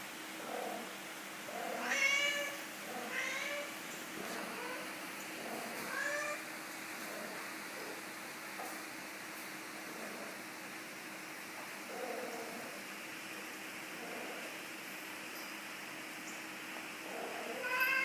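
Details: Domestic cat making noises indoors: a burst of short, chirping meows early on, then scattered softer murmured calls, and one more meow at the very end over a steady background hum.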